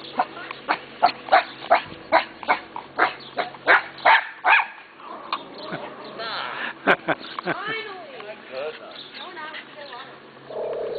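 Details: Neighbour's dogs, friendly, barking at the sight of someone: rapid, evenly spaced barks for the first four seconds, then a looser mix of higher whining, yelping sounds and a few barks.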